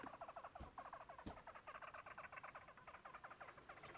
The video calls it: Daisy the Hamster making noises